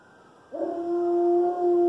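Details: Alaskan Malamute aged one year, howling for the first time: a brief onset after silence rising into a steady, clear sustained tone.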